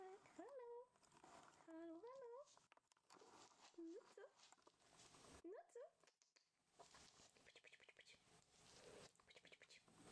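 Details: Eight-week-old female Rough Collie puppy from a litter, giving short tonal whines that rise and bend in pitch, several in the first six seconds, followed by rustling and patter sounds.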